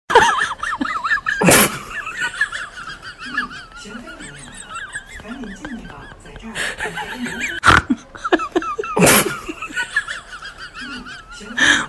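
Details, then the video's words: Several guinea pigs reacting to a bag crinkle, giving a continuous run of high, wavering squeals that rise and fall in quick succession, broken by sharp crackling bursts of crinkling plastic, with low chuckling laughter underneath. "When guinea pigs hear a bag crinkle"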